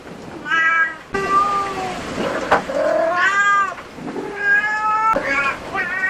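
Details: Insistent, drawn-out meows from a cat at a cat cafe, five or so in quick succession, some sliding upward and others dipping, a sharp click between them.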